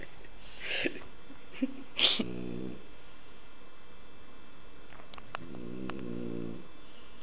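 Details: French bulldog snoring heavily while asleep: brief snorting sniffs early on, then two spaced, low buzzing snores with a rattly tone, separated by quiet breathing and faint clicks.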